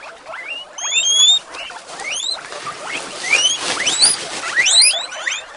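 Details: Excited female guinea pigs at Avalon Guinea Pig Rescue awaiting breakfast, many sharp upward-sweeping whistles and squeaks overlapping in a busy, steady chorus.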